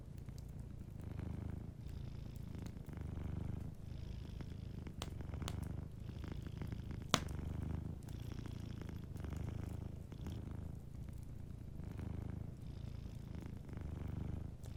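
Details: A cat asleep by the fireplace purrs in a soft continuous low drone that swells and dips with its breathing, every one to two seconds, punctuated by occasional loud pops and crackles of burning wood.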